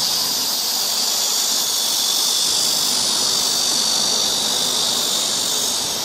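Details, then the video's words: Summer cicada chorus on a forest trail in Seoul, Korea, a continuous shrill, hissing whine that never breaks or changes pitch, filling the woodland evenly from start to finish. "cicada sound"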